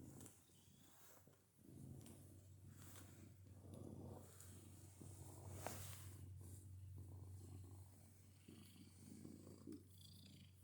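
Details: Domestic cat purring and making odd noises while purring: a steady low rumbling purr pulsing about four times a second, with scattered brief clicks and rustles over it.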